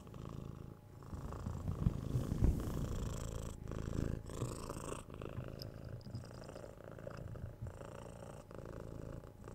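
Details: Pet cat purring close to the microphone, a low throbbing rumble rising and falling with each breath, about once a second, with a few soft clicks and rustles in between.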